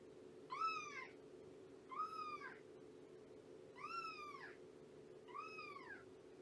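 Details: Shelby, a domestic cat estimated at two years old who came to Purrfect Pals with her kittens, meows four times in the morning, each call rising then falling, roughly every one and a half seconds, over a low steady hum.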